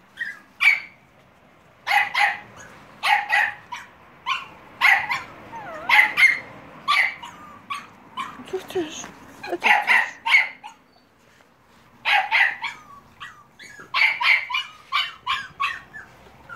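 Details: Staffordshire Bull Terrier puppies on 30.07.2017 keep up a steady run of shrill yips and squeaky barks, roughly one every second, some with rising whine-like tails, while a woman speaks softly to them.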